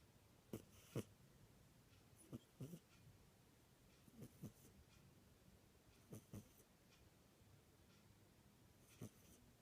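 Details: Cat snoring indoors: soft, paired rasping breaths repeating every couple of seconds over a low steady hum.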